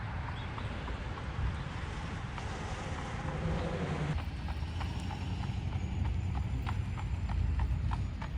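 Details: Amish buggy horse in Lancaster County, Pennsylvania, fall 2025, clopping along the road. Sharp hoof strikes start soft, then ring out clearly and fairly evenly over a deep rolling wheel rumble.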